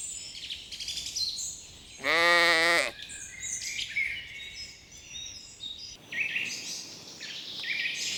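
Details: A single strong, quavering bleat from a sheep grazing on a spring meadow, lasting almost a second, set among continual high twittering birdsong before and after.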